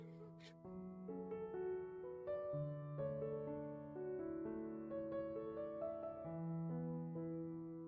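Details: Soft piano or keyboard music plays throughout, with no animal sound heard.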